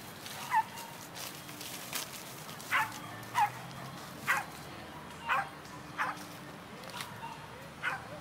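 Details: Scottish Terriers, a pair searching for squirrels and lizards, let out a string of about nine brief, high, yappy barks at irregular intervals of roughly half a second to a second, against faint constant background noise.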